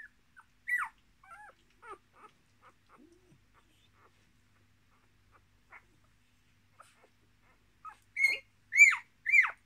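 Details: A litter of six Miniature Australian Shepherd puppies beside their mother, born 10.03.2020, give scattered soft whimpers, then a pause, then three loud, piercing squeals that bend upward and fall away near the end.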